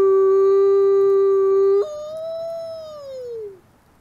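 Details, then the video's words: Captive-born male gray wolf, an ambassador wolf at a wolf conservation center in South Salem, New York, howls: a steady, rich low tone held almost two seconds, then an abrupt break to a higher note that slowly slides downward and fades out. "Beautiful Wolf, Beautiful Howl."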